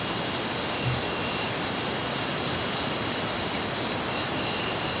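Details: Night crickets trilling continuously in a high, even chorus, with a softer pulsed shimmer beneath and a strong steady rushing noise throughout.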